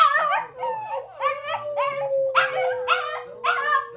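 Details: Shih Tzu at home giving a quick series of short, rising yips that slide into brief howled notes, five or six bursts in four seconds. A steady hum runs beneath, with faint television sound behind.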